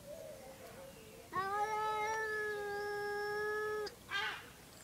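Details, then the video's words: Strange noises from two domestic cats: one steady, level yowl held for about two and a half seconds with strong harmonics, preceded by a faint lower moan and followed by a brief rough burst. "Two cats making STRANGE noises"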